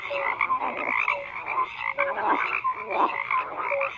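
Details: Overlapping frog croaks, grating bursts mixed with brief tonal notes, repeated irregularly at well over one per second in a crowded nighttime-style chorus.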